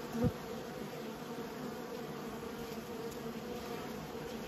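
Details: Honey bees in a beekeeping setting giving a steady droning hum, a brief sharp knock near the start, then the even buzz carries on.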